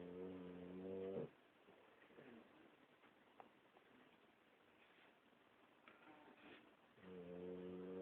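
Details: Boxer snoring: a steady, buzzing snore for just over a second, then a quiet stretch of breathing, then a second long droning snore that carries to the end.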